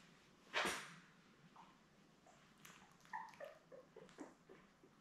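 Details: Newborn Labrador Retriever puppies, a litter of seven born May 24, 2021, with their mother Belle on a puppy cam in June: a sharp rustling knock, then a run of short, faint, thin squeaks and yelps scattered over several seconds.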